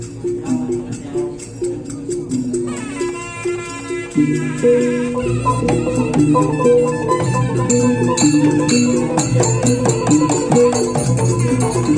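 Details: Traditional music with rattles, percussion and melodic instruments playing throughout, with faint speech; no animal voice.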